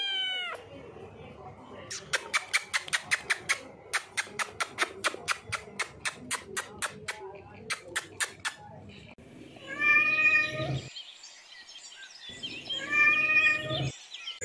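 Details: Cute cat meowing: a run of sharp rhythmic tapping or clicking fills the first half, then two drawn-out, harmonic meows rise and fall near the end, separated by a short silence.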